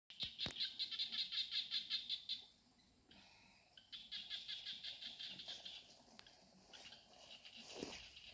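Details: Beside a stream, a small frog gives rapid trains of high, clicking pulses, pausing between bursts.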